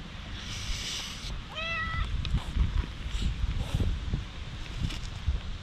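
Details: Stray cat in warm sunlight filtering through trees, rubbing against legs, GoPro HERO8 recording: one short, clear rising-falling meow near the second mark over low rumbling and scattered rustling, footstep-like taps.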